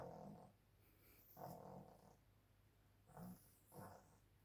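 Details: A playful pug gives four short, rough, low snorting growls in bursts roughly a second apart, each a harmonic rumble with a brief hissy top, separated by quiet gaps.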